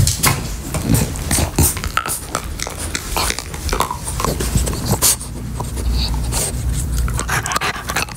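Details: French Bulldog chewing a beef-flavored Nylabone chew toy indoors: close, breathy panting and snuffling snorts, broken by rapid gnawing clicks and scrapes against the toy in a small room.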